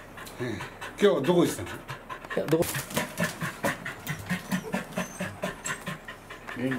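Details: Welsh corgi excitedly greeting its breeder on 4 August 2019: steady, rapid, breathy panting pulses about twice a second, with a couple of short vocal squeaks early on and human voices alongside.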